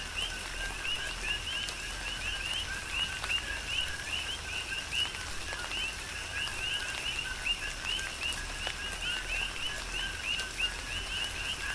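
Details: Many coqui frogs calling together in a rain shower, Big Island, Hawaii; bright rising chirps stacked above a lower tone, repeated without pause throughout, set against even rain hiss and scattered drop impacts.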